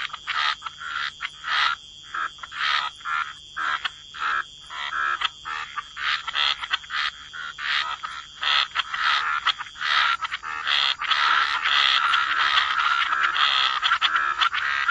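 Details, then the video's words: Frogs croak in a waterside chorus, short rasping calls repeated rapidly in an irregular stutter, swelling into a fuller, steadier overlapping chorus toward the end. "Frog Lullaby: Relax to the Sound of Croaking Frogs"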